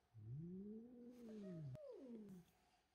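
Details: Domestic cat George, unhappy and angry at a young kitten named Milo who came into the house and stole his tuna, indoors: a low, drawn-out moaning yowl rising then falling, followed after a sharp click by a shorter falling wail.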